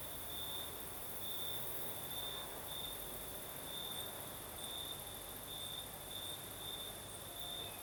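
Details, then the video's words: Crickets at night in Crimea's south, night breeze blowing: bright, high chirps repeated roughly once a second in uneven bursts, set against a dense high-frequency insect hiss and faint airy rumble. "Звук ночи. Юг. Крым. Сверчки поют."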